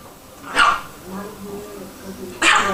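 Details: Two Chihuahuas, black Sesame and her offspring Cream, squabbling as they often fight; two sharp, harsh barks about two seconds apart, with low human voices murmuring between them.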